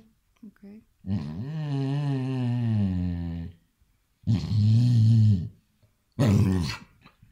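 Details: A Basset Hound reacting playfully to an "attacking" hand gives a deep, drawn-out, wavering bay, followed by two shorter gruff barks.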